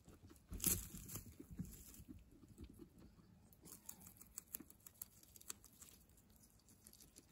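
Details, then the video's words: Guinea pigs eating fresh herbs, giving a loud rustling tear at the start, then quick crunchy chewing clicks and leafy crinkling that fade into quieter nibbling. "Guinea pigs munching fresh herbs"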